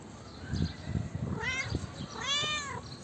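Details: Female calico cat meowing, two clear meows, the first short and rising, the second longer and falling, over low thumping and rustling background noise.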